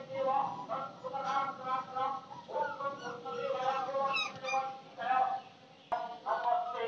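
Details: Several puppies in a village give overlapping high, whining cries with wavering pitch. The cries come in bursts of one to two seconds, separated by brief softer gaps.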